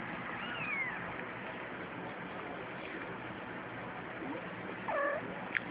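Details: Ten-day-old kittens of stray and feral cats playing; several thin, high arched mews, one at the start and a cluster near five seconds, with a sharp tick at the end over constant background hiss.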